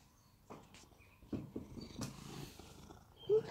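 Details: Rescue cat Sam purring while being groomed and pampered at home in Cooktown, Queensland, Australia; a low, steady rumbling purr with soft rustles and brief handling noises throughout.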